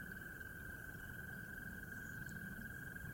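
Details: A chorus of frogs at sunrise on an early-spring morning at a pond in the lower North Carolina mountains, merging into one steady, high trilling drone that never breaks over a low background rumble.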